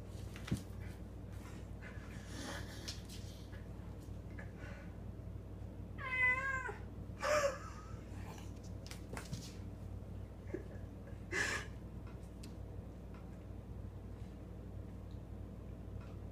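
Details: Winston, a pet cat playing indoors with a toy held in his mouth, gives muffled wavering meows around six to eight seconds, with scattered clicks and thumps of play and a steady low room hum throughout.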